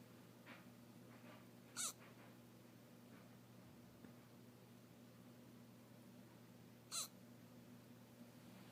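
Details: A kitten named Watson hiccuping: two short, sharp squeaky hics about five seconds apart over a steady low hum, with faint soft ticks between.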